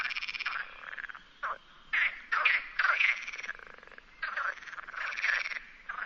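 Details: Perez's frog, the common frog of Spain, in the Sierra de Barbanza near Noia, Galicia: rasping, pulsed croaks in bursts of about half a second, several overlapping, with short quiet gaps between.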